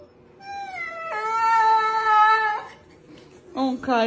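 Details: Boxer dog indoors in a small room giving a long, drawn-out, high whining howl that holds steady for over a second, then a shorter rising whine near the end, with music and laughter around it.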